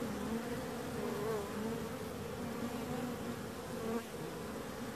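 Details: Steady low buzzing of bees, a continuous droning hum with faint wavering tones from individual insects passing, one brief dip near the fourth second.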